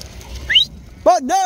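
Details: A sheep of a flock kept in northern Spain bleats in a long, wavering, harmonic cry, broken by a short gap. A brief rising human whistle comes just before it.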